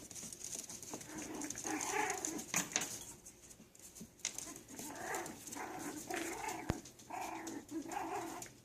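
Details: Several Yorkshire Terrier puppies at play, trading quick harmonic yips and squeaky growls in irregular bursts, some overlapping, with clicks and scuffles from their tussling in a small room.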